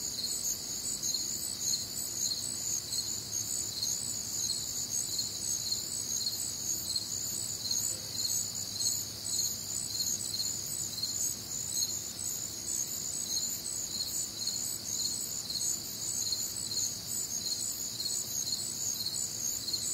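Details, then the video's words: Nocturnal crickets in a warm, humid Midwestern summer night produce an unbroken, high, pulsing chorus of overlapping trills, evenly sustained for the whole stretch, with a quiet low hum in the background and no other clear sounds. "Night Time Cricket Sounds"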